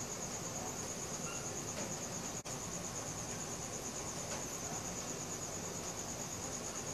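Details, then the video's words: Night-time crickets captured with a Samsung Galaxy S4 phone, giving a continuous high-pitched pulsing trill, rapid and even, with a momentary gap midway and a soft hiss of background noise beneath. "CRICKET SOUNDS | RELAXING SOUNDS OF NATURE AT NIGHT"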